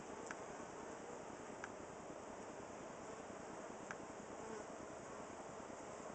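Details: Honey bees that moved into a cedar squirrel box fan to cool their hive on a hot July 23, 2011 day near 95 degrees. A steady, dense buzz with no breaks, marked by a few faint clicks.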